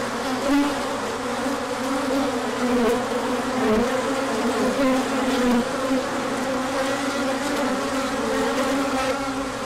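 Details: Bees out in force for a large orientation flight once the sun came out after a colder stretch, 24 March 2024; unbroken swarm hum, a low drone with sliding higher whines from bees flying past.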